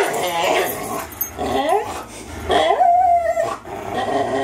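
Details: Two 3-year-old dogs, a Greyhound and a German Shorthaired Pointer, playing tug of war; rising, wavering whines and yips mixed with rough growling, loud and continuous.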